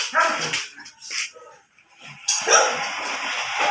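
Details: Belgian Malinois during a stud session in Binmaley: a few short, harsh barks spaced about a second apart, with quiet gaps between them and a burst of broadband noise near the end.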